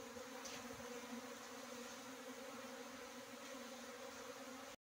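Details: Droning buzz of Asian honey bees (Apis cerana), a continuous low hum with a strong overtone and no pauses. A few brief higher swishes come early before the sound cuts off.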